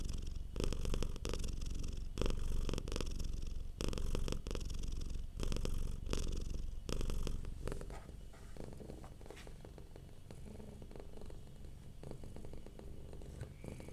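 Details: Domestic cat purring softly while relaxed, deep rhythmic rumble with strong breath-paced pulses for the first eight seconds, then fading to a quieter, smoother purr.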